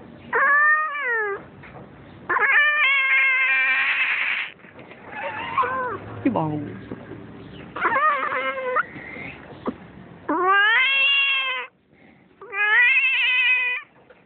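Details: Domestic cat at home while giving birth, letting out loud, drawn-out, strained wails. Each lasts one to two seconds and wavers in pitch, with about six cries and softer grunting moans between them.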